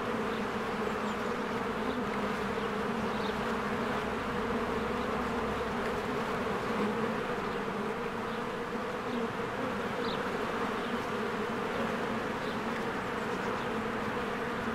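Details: Bees streaming in and out of a cozy hive in spring, their combined wings making a rich low buzzing drone throughout, with occasional thin high bird chirps.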